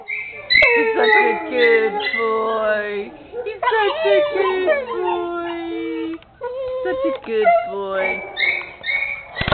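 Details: Bitty, a brown male Pit Bull in kennel 26 at Camarillo Shelter, "singing and talking": drawn-out, wavering howls and whines rise and fall in long sliding tones, broken by short yips and pauses.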